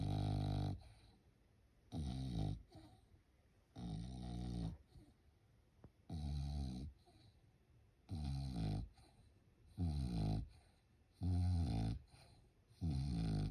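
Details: Sleeping French Bulldog at home during Golden Week snores steadily: loud, low, rattling rumbles about every two seconds, each lasting under a second, with soft breathing between them in a quiet room.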